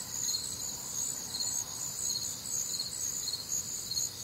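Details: Crickets chorus on a warm, humid Midwestern summer night, with other nocturnal sounds: dense, high, shimmering trills stacked in several layers, pulsing steadily without pause over a soft low rumble.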